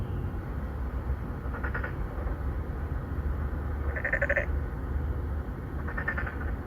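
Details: Three or four Boreal digging frogs, an endangered species, calling to court females in an apartment-complex pond in Songdo, Incheon, Korea, recorded on a Galaxy Note9; three short buzzy nasal bleats about two seconds apart over a steady low traffic rumble.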